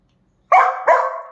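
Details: Two rapid, loud barks close together from a pet dachshund named Kiko or Choco, the second following the first after about a third of a second.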